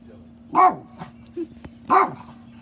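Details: A dog barks at a bird, giving two short, sharp barks about a second and a half apart over a steady low hum, with a person speaking briefly.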